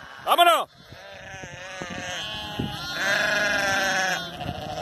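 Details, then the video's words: Sheep being worked by the border collies Zara, Memphis and Bluky: a short arched cry near the start, then a sustained, wavering, harmonic-rich bleat lasting about a second, with a man shouting commands to the dogs in Spanish. "Trabajo real con Border collie y ovejas"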